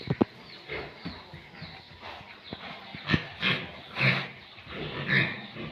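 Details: Pure Landrace and Duroc breeding pigs at a farm, with a few sharp clicks followed by low, raspy grunts and squealing bursts that grow louder toward the end.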